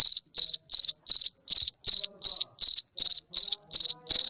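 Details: Nocturnal cricket giving crisp, shrill chirps, each a short burst of rapid pulses, spaced evenly at nearly three per second against near silence.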